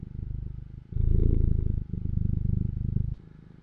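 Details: Cat purring close up, a deep pulsing rumble rising louder after the first second, easing near two seconds, then fading softly at the end.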